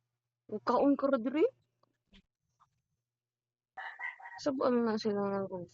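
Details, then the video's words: Neighborhood cat feuding with an orange cat: two drawn-out, wavering, nasal yowls, the first lasting about a second and the second a harsher two-second cry, separated by quiet with faint clicks. "Neighborhood Cat always has a beef with orange"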